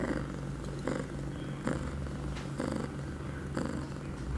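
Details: Pia, an eight-month-old female domestic cat in heat, two hours after her first birth control pill, September 23, 2011, purring steadily indoors, a low continuous rumble with soft breathy pulses roughly once a second.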